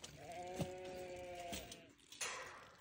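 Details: Newborn lambs during lambing season give a single wavering, nasal bleat of about one and a quarter seconds. A short sharp click lands near its start, and a brief broadband sound follows later.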